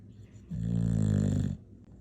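An English bulldog gives a single deep, rumbling snore lasting about a second.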